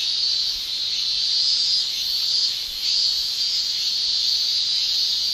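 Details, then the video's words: Male cicadas in Japan in summer make an unbroken high, buzzing shrill with their tymbals. It dips briefly in strength midway, then carries on as a steady chorus. "Japan Summer Cicada Shrilling Relaxing Sound"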